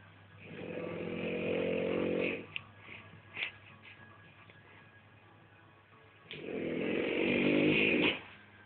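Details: French Bulldog snoring indoors: two long, rasping, harmonic inhalation snores, each about two seconds, about four seconds apart, with quiet breathing and soft clicks between them.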